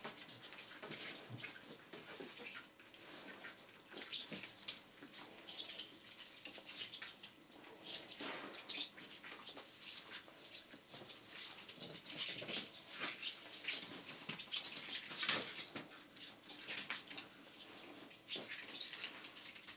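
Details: Two-week-old Border Collie puppies from one litter, born 15 February 2013, indoors; brief thin high squeaks and whimpers surface now and then over steady rustling, shuffling and soft clicking movement noise.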